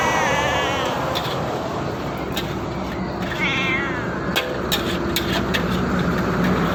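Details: Feral cat with a wavering meow at the start and a brief quavering cry midway, half-buried in dense broadband noise with scattered clicks and knocks.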